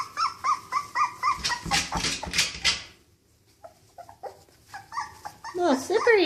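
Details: Outside for the first time, a Cocker Spaniel puppy gives repeated arched whines, then a noisy scuffle and a pause before more sliding, yelping cries.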